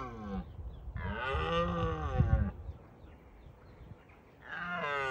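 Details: Roaring wild red deer stags in Bushy Park during rutting season, deterring rivals: a deep, drawn-out, throaty roar with some rumbling, bracketed by the tail of an earlier roar and the start of another.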